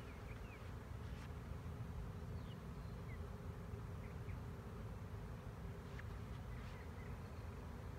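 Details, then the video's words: Low, unbroken droning of a 2019 honey bee swarm fills the recording, steady and uniform throughout, with only faint high bird chips far behind. "Honey Bee swarm"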